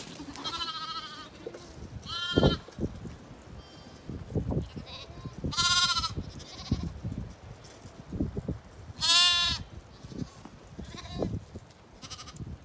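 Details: Zwartbles ewes on a regenerative farm in County Kilkenny, Ireland, rushing across to their evening field and meal: loud wavering bleats at irregular intervals, about five in twelve seconds, over trampling and rustling.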